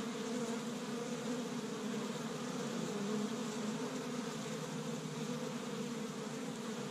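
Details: A continuous low buzz from many honey bees active at their established Michigan hive in spring, first warm day of the year, foraging pollen from tree buds; the even, layered hum barely swells or fades.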